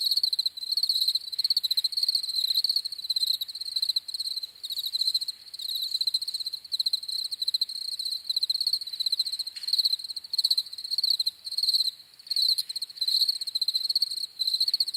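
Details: Continuous cricket chorus of high, rapidly pulsed chirps, bursts running together with only short pauses, a faint upper overtone, and a few soft broadband clicks in the background.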